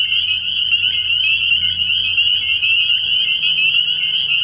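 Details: Early-year nighttime frog pond full of spring peepers, their piercing high peeps overlapping into a constant ringing wall of sound, with individual short rising notes audible and a low steady hum in the background.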